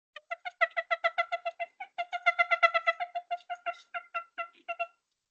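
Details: A zoo meerkat, a subordinate feeling pressured, gives rapid, squeaky, high-pitched submission calls almost without pause, about four every second, while pawing at a more dominant individual.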